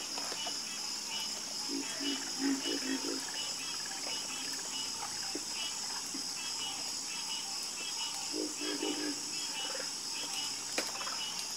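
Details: Frogs croaking at night in a chorus: a rapid burst of five low croaks early on, a quiet gap, then another quick cluster, all under a continuous shrill insect whine.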